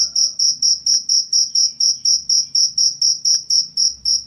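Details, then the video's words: Close cricket chirps, offered as birdsong-training master audio and a rat deterrent, sound as bright shrill pulses, roughly two per second and evenly timed, over a faint low hum. "suara jangkrik"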